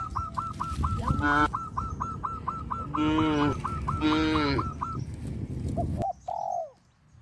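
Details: Herded cows moving along a village road moo three times, each call brief and strongly harmonic. A bird keeps up a rapid series of hooked chirps, and a short sliding bird note ends the sequence.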